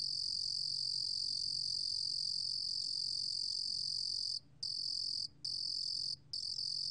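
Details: Cricket (루루곰귀뚜라미), recorded by Korea's National Institute of Biological Resources in 2020: a steady, shrill, high-pitched trill held for over four seconds, then broken by three short pauses into trill bursts of under a second each.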